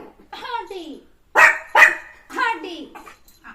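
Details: Puppy playing with its owner in the morning lets out two loud, abrupt barks in quick succession, framed by a person speaking in Malayalam before and after.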